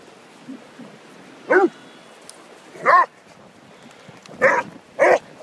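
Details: On Holkham Beach, Whippet Orla and Basset Hound Peter play; four clear barks spaced about a second and a half apart, each bright and harmonic, over a faint constant background hiss.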